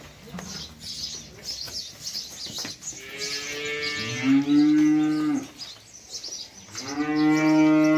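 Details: Cattle in a herd where a big bull charges a small cow; deep drawn-out moos with strong harmonic bands, one long moo near the middle and another rising bellow at the end, with rustling and faint background noise.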